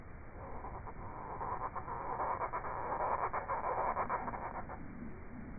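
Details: A male Iberian field grasshopper (Chorthippus jacobsi) sings a run of dry, scratchy pulses that swell and then stop, recorded 6 July 2022 in the Sierra Nevada, Andalucia, Spain.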